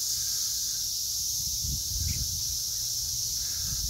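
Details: A dense chorus of periodical cicadas in a southern Indiana garden on 12 June 2021 makes a steady, high, shimmering drone with no pauses.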